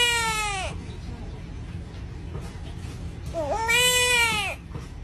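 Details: A wetland-jungle frog, found in places such as Malaysia, screams like a crying baby in self-defence: a wail fading out at the start, then after a quiet gap a second harmonic cry that rises and falls, lasting about a second.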